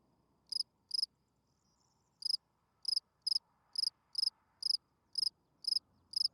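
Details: Night chirping of a spring field cricket, its calling song to attract females: about eleven bright, high pulsed chirps with a pause near the start, then a steady run roughly every half second, faint low rumble behind.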